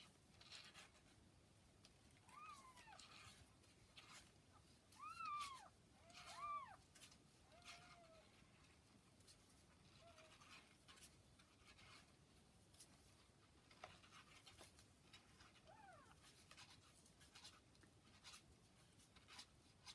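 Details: Newborn kittens about 40 hours old with their mother cat Hana: thin, high, arched mews, some doubled, come in a cluster over the first eight seconds, then single quieter mews near ten and sixteen seconds against a soft indoor hiss.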